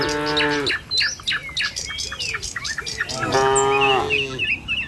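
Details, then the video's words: Tame cattle moving along a village road to the pen in the morning: two moos, a short one and then a longer, rising one, with a burst of quick bird chirps between them. "Suara Sapi Moou Sepanjang Jalan Menuju Kandang"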